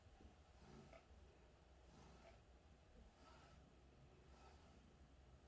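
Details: Purring from a cat in a good mood, a low, snore-like throaty drone that rises and falls in regular breath cycles roughly every second, quiet and steady throughout.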